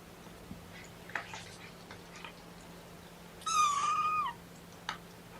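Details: A kitten from Mama Seraphina's litter of four (three boys, one girl) protests being pottied before weighing. It gives one clear, high, thin meow that holds steady for almost a second and then drops at the end. Quiet room noise surrounds it, with a few soft clicks.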